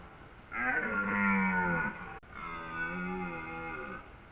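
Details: Red deer stag in Haute-Savoie, France, during the rut, gives two long, deep, powerful roars, each over a second, announcing himself and his strength to hinds and rival stags; the roar may even affect hinds' ovulation.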